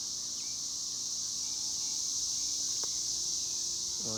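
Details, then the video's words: Cicadas droning steadily in a high, shrill, unbroken buzz, with a short spoken word at the very end. "El sonido de las chicharras"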